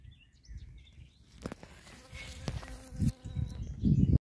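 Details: Honey bee carefully walking from flower to flower on red currant (Ribes rubrum) blossoms, lingering long at each for nectar; a steady low buzzing hum with faint harmonic tones, growing louder in bursts toward the end, with scattered clicks.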